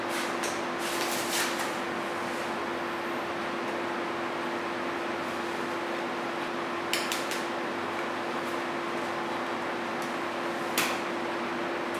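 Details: Indoor hum with a constant low tone, fan-like hiss and a few sharp clicks and clatters, as of cupboards or objects moving, without any animal voice.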